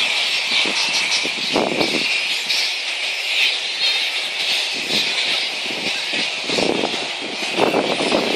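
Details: Flying-fox megabats at Boonah, Queensland, Australia, 02/01/2014: constant high-pitched squabbling screeches, punctuated by several louder, coarser squawking bursts that come and go.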